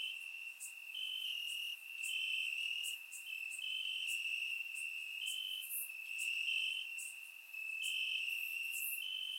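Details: Chorus of crickets in grass on a warm Bulgarian summer night, surround-recorded: unbroken high-pitched trilling with several overlapping singers and rapid brief ticks above it.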